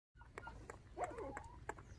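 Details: Orphaned puppies, one of five whose mother was stolen by dog thieves when they were six days old, now bottle-fed with milk indoors; a thin, wavering whine rises and slides down mid-clip amid soft clicks and taps.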